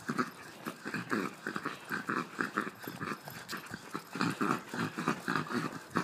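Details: Jack Russell terrier giving a rapid series of short, throaty, growl-like pulses, roughly four per second, each with a low rumble and brighter upper tones, rising and falling in loudness without pause.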